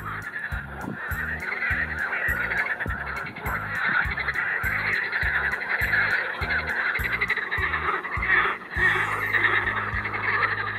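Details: Edible frogs calling at Triolago, sitting far from the shore; a dense, rattling chorus of overlapping croaks runs throughout, with a low rumbling noise pulsing underneath.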